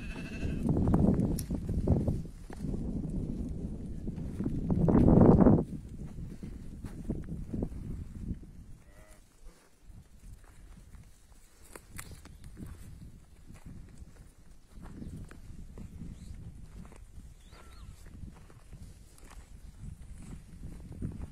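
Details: Flock of about forty ewes with their lambs, twenty young rams and twenty-three young ewes, at Tiaret, Algeria; two loud, harmonic, wavering bleats in the first six seconds, then quieter bleating and shuffling with a low background rumble.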